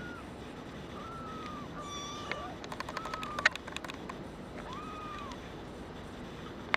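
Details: Several drawn-out, level or gently arching mews come from a brown tabby and white male kitten born 27 February 2011 and up for adoption. A burst of sharp clicking sounds midway, over a constant background hum.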